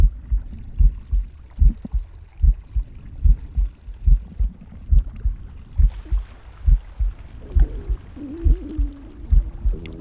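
A pig's heartbeat thumps steadily, about seventy beats a minute, with a brief gurgling stomach growl near the end.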